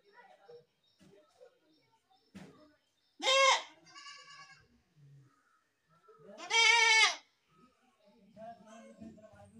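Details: A goat gives two loud, wavering harmonic bleats several seconds apart, with fainter bleats from other goats and low murmuring background sounds in between.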